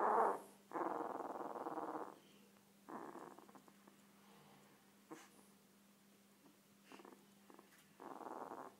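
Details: One-week-old Komondor puppy giving rough, harmonic squealing cries in separate bursts: a short one, then a longer cry of over a second, a brief yelp, and a final cry after a quiet stretch with faint clicks and rustles.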